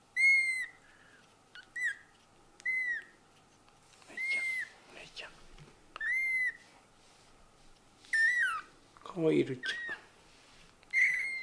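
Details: Newborn kittens, eyes just opened, mewing indoors: high, piercing cries repeated about every two seconds, each bending up then down, with a few squeakier, wavering calls and brief rustling between them.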